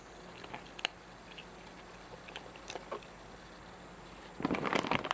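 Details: A cat eating. Soft, scattered clicks fill about four seconds of quiet room, then a dense burst of loud, rapid crunching chews ends the recording.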